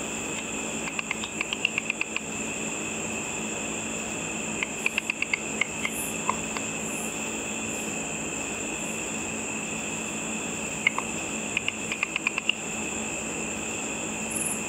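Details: Insect-eating bats circle a night-time pool, heard through a simple ultrasonic frequency divider detector as bursts of rapid clicking trains separated by quiet gaps, over a steady shrill tone and faint background hum.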